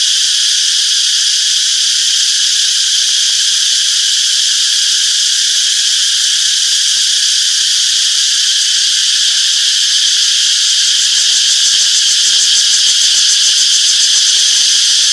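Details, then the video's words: Summer forest cicada chorus: a continuous shrill, hissing drone that holds level, with a faint pulsing flutter in the highest tones toward the end and nothing else clearly audible. "Relaxing Cicadas Chirping Sounds - Peaceful Summer Forest"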